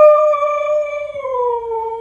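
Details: Pet Husky answering its owner's "I love you" with one loud, smooth, sustained howl-like vocalisation, holding steady and then dropping slightly in pitch near the end, about two seconds long.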